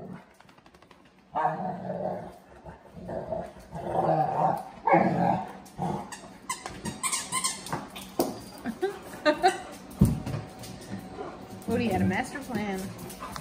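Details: Dogs on a puppy cam: Oatey, a Plotthound mix rescue pup, Rallo, a Cane Corso/Dogue de Bordeaux, and older Maggie, an English Mastiff/Dogue de Bordeaux. Rough, repeated growls and short barks come in quick bursts, with a human voice now and then.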